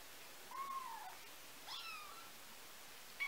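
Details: Nineteen-day-old kittens, whose mother cat cleans them, give thin little meows: a falling whine, a higher wavering cry with bright overtones, then a short sharp squeak at the end, over a quiet background.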